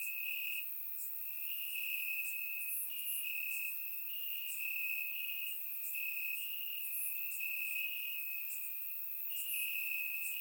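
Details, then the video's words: Night chorus of crickets in Bulgarian grass on a warm summer evening, recorded in surround sound: an unbroken high-pitched ringing trill with brief louder bursts recurring every second or so above it. "Cricket Sounds - Crickets Chirping at Night"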